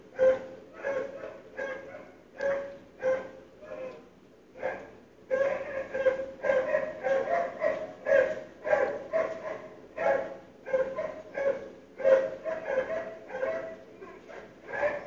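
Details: Neighbourhood dogs barking in the morning, loud even through sealed windows and doors: a long run of rapid, mid-pitched barks, some overlapping, with brief pauses between bursts.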